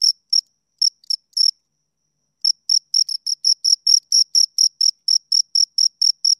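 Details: Close-range chirping of two crickets: a few scattered, uneven high chirps, a one-second hush, then a steady, rapid run of shrill pulses at roughly three per second.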